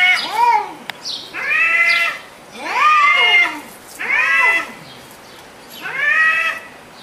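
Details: Cats talking to each other in an argument: arched, nasal meows repeated about every second and a half, each rising then falling, over a faint background hiss.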